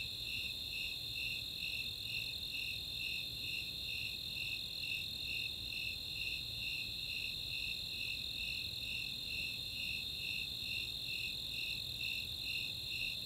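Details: Nighttime summer chorus at Chautauqua, Boulder, Colorado, of Snowy Tree Crickets and Four-spotted Tree Crickets: rhythmic high chirps repeating about 130 times a minute atop an unbroken sustained trill, with a soft low background hum.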